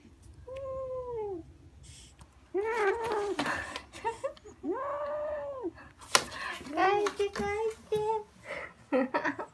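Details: Kittens playing indoors with a fluffy toy, growling as they run around holding it; drawn-out, harmonic moaning growls rising and falling, several in a row with short gaps, mixed with clicks and knocks of play.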